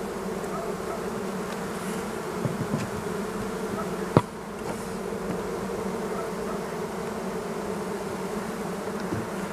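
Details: Western honey bee colony in an opened hive in spring, with some food stores; a steady dense hum runs throughout, with a brief sharp click near the middle.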